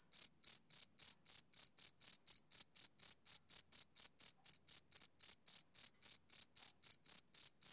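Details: A male cricket calling into a summer evening: clean, shrill chirps in an even train, close to four per second, strong and uniform, no other sounds.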